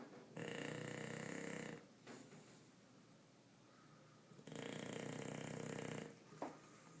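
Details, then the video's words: English bulldog named Bruce, asleep, snoring: two long, loud, rasping and buzzy snores of about one and a half seconds each, roughly three seconds apart, with quiet breathing between them. "Bulldog ingles roncando"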